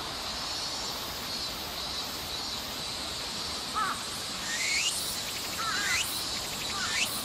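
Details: 1 Walker's cicada (Meimuna opalifera, tsukutsuku-boshi) sings a high, buzzing, pulsing song over a steady insect hiss, recorded in summer on 14 August 2014 at Nishi Park, Sendai, Miyagi Prefecture, Japan.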